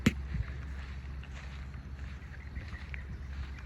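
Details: Deep microphone wind rumble throughout, opened by a single sharp knock, with faint muffled background sounds.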